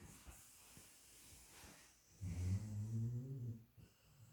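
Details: Sleeping, dreaming female dog snoring indoors: quiet breathing at first, then one loud low rumbling snore lasting over a second, followed by faint breaths.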